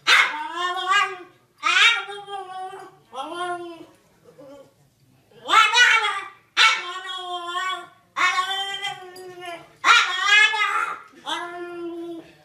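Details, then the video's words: Domestic dog 'talking' in a series of drawn-out, yowling whine-howls: eight separate wavering, harmonic bursts, each about a second long, rising and bending in pitch with short silences between, sounding almost like speech. "หมาพูดได้ ดูไปมึนไป Funny Dog Talking"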